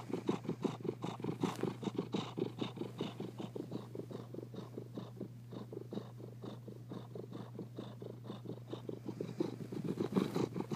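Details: Contented domestic cat purring steadily, a low rhythmic rumble pulsing about two to three times per second throughout, with a steady hum underneath and no other sounds.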